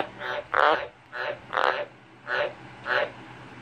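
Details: Common tree frog croaking: six short, rasping, broadband bursts spaced roughly half a second apart, some louder and fuller than others, with a faint low hum underneath.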